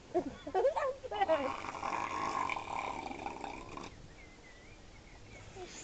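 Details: A seal at Mablethorpe seal sanctuary, very vocal and possibly choking, gives a run of low, throaty grunts, then a long rasping snort, with people talking nearby; froth is later seen in its mouth.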